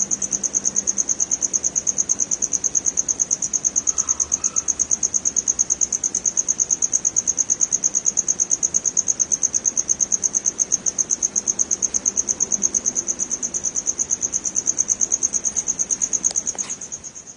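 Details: Crickets (family Gryllidae) in West Bengal, India, give a continuous high, shrill chirping of fast, regular, evenly spaced pulses that barely change in loudness; the trilling fades slightly at the very end.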